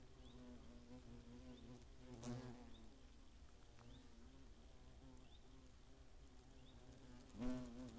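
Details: European hornets at a nest near Greimersburg, Eifel, Germany, August 15, 2017. A soft, low hum runs throughout, broken by two brief louder buzzing passes near two and seven and a half seconds. Faint high chirps sound in between.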